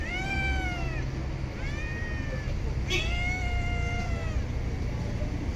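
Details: Stray cat in a park or street giving three drawn-out, wavering meows, each about a second long and slightly falling at the end, over a low steady rumble of traffic.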